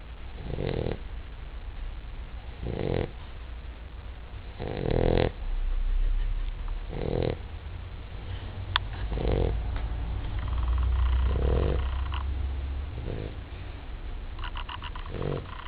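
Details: Basset Hound named Charlotte asleep and snoring: deep, rasping low snores repeating roughly every two seconds, each a short rough burst with quieter breathing between, plus faint scattered clicks in a small indoor space.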